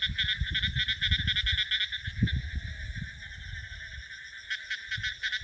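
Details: A dense frog chorus, heard in a village paddy field at the start of the monsoon as new water arrives, gives fast, pulsing, high-pitched trills, about two pulses a second, over low wind rumble and handling noise.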